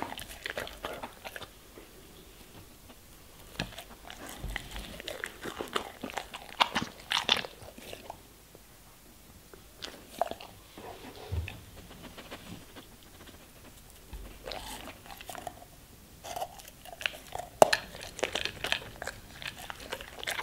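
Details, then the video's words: German Shepherd eating vegetables and fruits indoors: loud, uneven bursts of crunching and biting with wet chewing between, and quieter pauses every few seconds. "German Shepherd Eating Food ASMR - Vegetables & Fruits"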